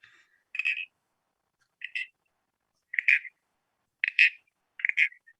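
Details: Southern toadlet, a secretive frog that keeps under leaf litter and grass, giving a short, inconspicuous call: brief raspy, high-pitched creaks repeated about once a second, five in all, against silence.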